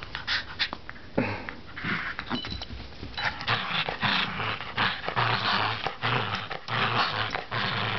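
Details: Chibi, a female bichon, growls while playing with a toy indoors as family members try to take it away. Low, rumbling growls rise and fall in uneven bursts, with panting breaths and rustling throughout.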